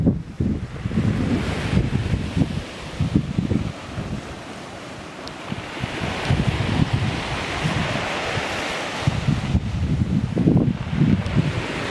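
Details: Gusty wind buffets the microphone over breaking surf on a beach at the Great Orme, Llandudno, North Wales, with no animal calls heard.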